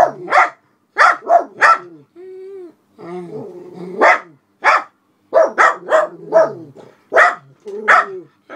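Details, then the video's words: {'text': 'Two elderly black Miniature Poodles guarding the house, barking at a passer-by walking a dog outside the window; bursts of loud clipped barks, a brief whine-like moan in the middle, then rapid barking again.'} "Black Miniature Poodles at Window"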